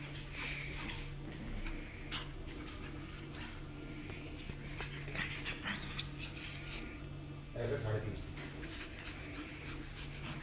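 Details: Pug puppy at play with her mother, heard through quiet rhythmic panting and brief whimpers, a louder snuffling burst near the end, all over a constant low hum and faint voices.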